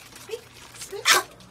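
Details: Pomeranian puppies barking: faint soft yips early on, then one sharp, bright bark near the end, over a quiet indoor background.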